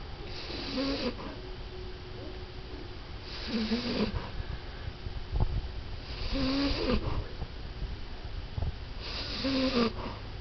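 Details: A 14-year-old female French Bulldog, falling asleep, snores in slow, rattling breaths, each snort coming about every three seconds.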